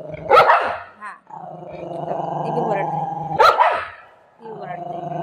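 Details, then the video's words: Shih tzu kept with a golden retriever, barking: two sharp, loud barks about three seconds apart, with a drawn-out whining, harmonic tone between them and a woman talking in Marathi. "shih tzu barking video"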